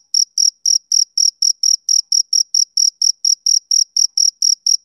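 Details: Male cricket chirping on a summer evening: high, pure pulses repeated steadily about four times a second, each short chirp evenly spaced against an otherwise silent background.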